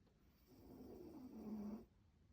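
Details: Pomeranian Poyo asleep and snoring: one long, grating inhaled snore, gravelly and low, growing louder toward its end and then stopping abruptly in a quiet room.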